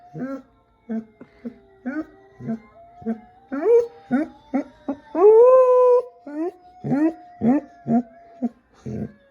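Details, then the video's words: Jasper, a dog, mixes rapid short yips and whimpers with a brief rising howl in the middle, a steady background hum underneath. "Jasper Howling"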